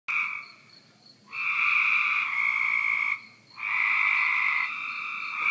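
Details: Cope's gray tree frog calling, heard from a back deck: loud, harsh buzzy trills lasting about two seconds each, separated by short pauses, the first starting just as the clip begins.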